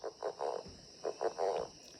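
A Northern Leopard Frog gives its mating call, a series of low, rattling, snore-like croaks.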